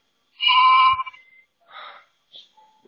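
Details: Lamb talking back over a ring camera: one strong, steady, nasal bleat about half a second long, followed by a quieter, rougher sound and a few faint clicks.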